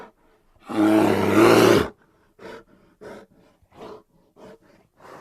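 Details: Grizzly bear letting out one long, harsh roar lasting over a second, followed by a run of short, softer grunting huffs repeated roughly twice per second.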